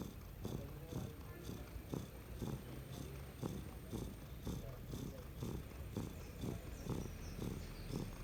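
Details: Domestic cat asleep, producing a deep rattling rumble in regular pulses roughly twice a second, low and continuous, over a quiet hissy room background.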